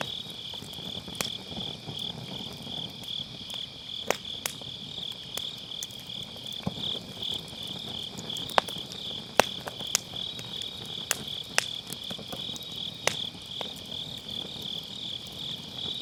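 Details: Grass insects on an autumn night beside a campfire in a round fire pit, recorded with a Sennheiser MKE600 using low cut: a steady high shimmering trill runs throughout, broken by sharp, scattered crackles and pops of burning firewood.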